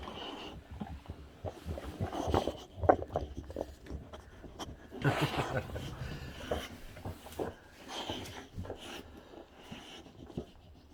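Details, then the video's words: Boxer dog Rex throwing a hilarious tantrum indoors in a small room: irregular snorts, huffs and short grumbling growl bursts scattered across eleven seconds, with a person's voice speaking now and then. "Boxer Dog Rex Has A Hilarious Tantrum!!!"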